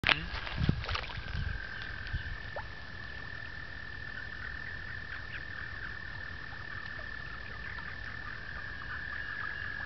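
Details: Frogs in mating season at a two-acre pond in upstate New York in April 2009; a steady, unbroken high trill holds throughout, with a few low thumps and splashy knocks at the start.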